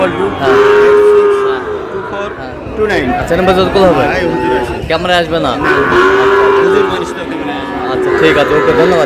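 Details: Two drawn-out, even moos roughly five seconds apart from Sahiwal cattle, bull calves bought by a farmer in Cox's Bazar, Bangladesh, with people talking and crowd murmur filling the gaps.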